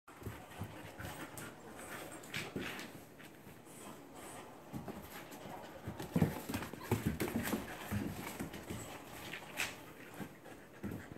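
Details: Siberian Husky mother playing with her Pomsky puppy indoors before the puppy goes home; scuffling, panting and soft huffs with scattered thumps, a brief louder burst of play noise midway.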